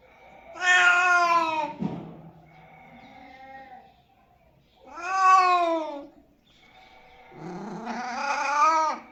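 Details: Domestic cat meows, offered as sounds to attract cats: three long, drawn-out, wavering meows spaced roughly three to four seconds apart, the last one rising and held, with quiet gaps between.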